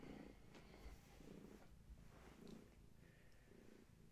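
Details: Gaia, a long-haired tabby pregnant cat, purring during a bedtime visit indoors; low rumbling purr pulsing about once per second, with each breath cycle showing as a soft swell, and faint background hiss.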